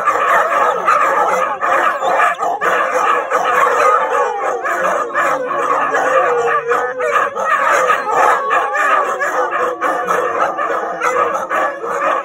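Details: Nightly group howl of Siberian Huskies: dense overlapping drawn-out howls with interspersed yips and barks, steady loudness, many dogs calling at once across the whole stretch.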